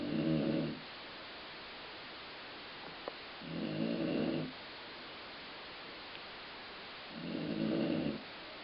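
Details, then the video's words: Dog named Colline snoring in a way likened to stomach growling: three rough, low rumbling snores at intervals of about three and a half seconds, with faint clicks and steady hiss between. "Colline Snoring"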